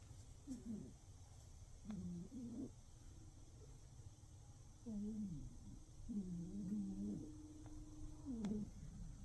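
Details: A cat snores while asleep in darkness. Low wavering tones come in irregular bursts, some wobbling up and down, with quiet gaps of steady background hiss between them.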